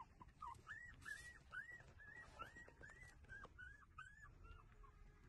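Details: Puppies whimpering while breastfeeding: a steady run of thin, arched whines, each rising and falling, repeated about twice a second over a low rumbling background.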